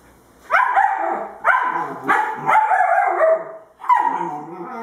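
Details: Two-month-old puppies playing together, a female Husky and a male German Shepherd. They give five yappy, whiny barks, each rising sharply and then sagging, spaced roughly a second apart.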